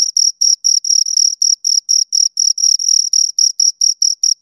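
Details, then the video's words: Pair of crickets heard close to the ear, rapid bursts of high, pulsing chirps repeating in a regular stream, some bursts running slightly longer, with clean silence between them. "Two Crickets Chirp Sounds for Two Hours Right on Your Ears"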